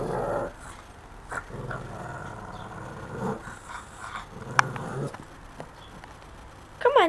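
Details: Pet dog Puddles growls low at pigeons in short rumbling bursts with a brief higher whine, while a woman's voice eggs her on to tell them to move.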